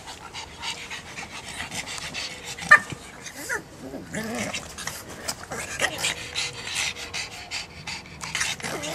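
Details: Rapid breathy panting from a pet pug, with softer stretches, a sharp click near the third second and faint voices mixed in.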